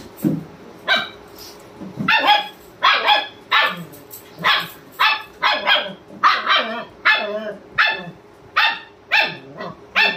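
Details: German Shepherd barking to wake his owner, sharp loud barks repeated roughly every half second to a second in steady bursts, with a faint hum underneath.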